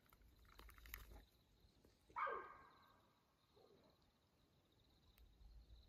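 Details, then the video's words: Mountain lion calling at 2:15 a.m. on June 7, 2024, on Houston Bros Trail, Coconino National Forest, Arizona; a single short, harsh, broadband cry rises out of near silence, with faint earlier rustling and a steady high insect-like hum. "Coconino NF mountain lion nighttime vocalization"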